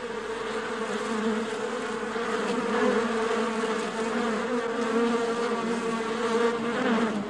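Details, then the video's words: A dense, steady drone of many honey bees at a beehive, a low even hum with no breaks. "Buzzing World of Bees: Beehive Ambience [No Copyright]"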